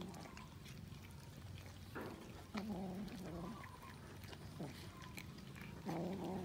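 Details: Cats feeding on raw fish, with crisp chewing clicks in the background and low, wobbling, harmonic murmuring calls rising and falling between two and three seconds, then again near the end.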